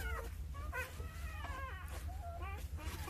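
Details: Newborn Jindo puppies, a litter of nine at two days old, tended by their mother Sarang: bursts of thin, quavering whines that slide up and down, several in quick succession, with a constant low hum beneath.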